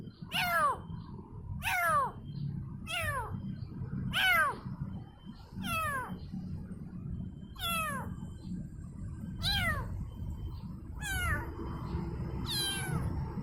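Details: A kitten cries for its mother in repeated descending meows spaced one to two seconds apart, the last ones thinner and more strained, with faint low hum beneath.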